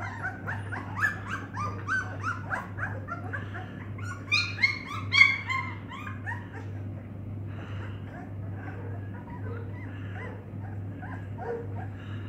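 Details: Several Dogue de Bordeaux puppies give thin, high whines and squeaks, busiest in the first half, then fading to softer scattered whimpers over a low steady hum.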